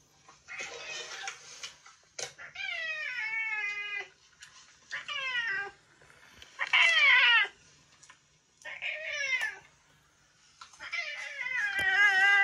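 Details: Kuro (Yongo), a retired boss cat that long ruled a residential area, now in end-of-life care indoors, gives loud harsh screeching cries: several drawn-out, wavering calls that slide downward, separated by short pauses.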